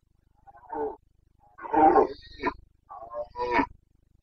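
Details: Breeding-season roaring of a Carpathian red deer stag in Bucovina forests, late September 2022: a short throaty grunt, then a louder harsh bellow with a clipped tail, and two more rough grunting roars, background otherwise quiet apart from a low hum.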